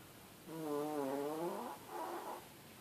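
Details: Sleeping Chihuahua named Blackie gives one long, tonal, wavering snore that dips and rises in pitch, followed by a shorter, fainter wheezy breath; no other sounds.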